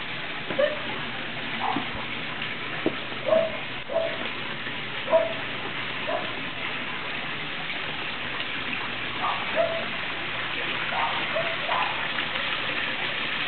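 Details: Norrbottenspets puppies, eight weeks old, out in the rain: short high whines and yelps repeated every second or so over the steady hiss of falling rain.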